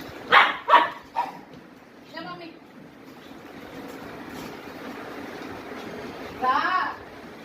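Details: A 21-month-old male Indian Spitz barks aggressively, giving a few sharp, high barks, then a later burst, with speech in the background.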